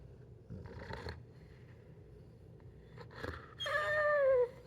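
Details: Pit bull Zeusy throwing a tantrum indoors over a delayed morning meal; a woman's soothing words come first, then the dog breaks into a loud, strained whine that falls in pitch before cutting off.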